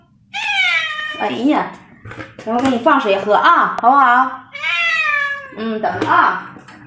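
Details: Domestic cats in a funny compilation: two drawn-out, harmonically rich meows, each sliding slightly downward and lasting under a second, with human speech in between.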